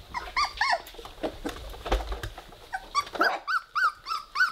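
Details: Indoor play among three-week-old Weimaraner puppies: a brief low rough growl in the middle, surrounded by bright squeaky whimpers and chirping squeals that come in quick, evenly spaced runs toward the end.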